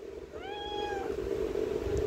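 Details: A black cat throwing a tantrum gives one drawn-out meow of about three quarters of a second. It rises briefly, then holds level and fades, over a constant low droning hum.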